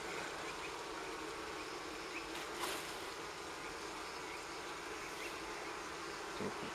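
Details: Wild honey bees from a four-comb nest on a fallen tree near the ground in forest near Kiev, Ukraine, being smoked and moved into a hive; a dense, steady buzzing swarm fills the whole stretch, with faint rustling.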